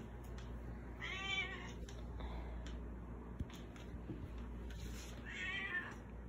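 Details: Baby Girl, a pet cat, begs for food indoors despite having a bowl of dry food: two drawn-out, wavering meows about four seconds apart, with faint household clatter between them.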